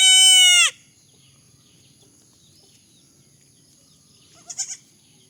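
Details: A baby goat's loud, high, nasal bleat opens the recording and ends abruptly within the first second, followed by near silence with faint soft chirps near the end.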